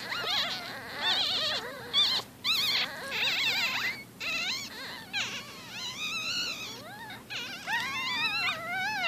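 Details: A litter of 4-day-old Shih Tzu-Bichon puppies gives thin, high squeals and whines that overlap without pause.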